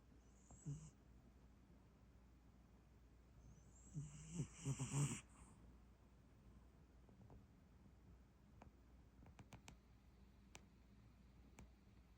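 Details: Sleeping cat snoring: a short low snore near the start, then a longer, rougher run of snoring breaths a few seconds later, followed by scattered soft clicks in a quiet room.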